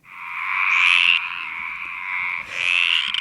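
A stripeless tree frog gives long, raspy, drawn-out croaks, two in quick succession.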